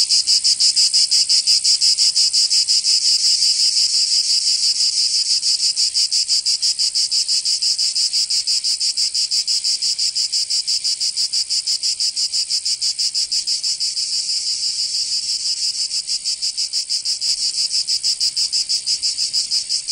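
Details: Loud shrilling of summer cicadas in Provence, southern France. An intense, metallic hiss is chopped into regular pulses about three per second. It starts strongest and eases slightly toward the end, with nothing else audible.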